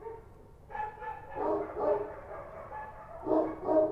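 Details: At night in Kabul, Kochi street dogs give a short run of hoarse barks after a quiet start, a brief lull, then two louder, sharper barks to close.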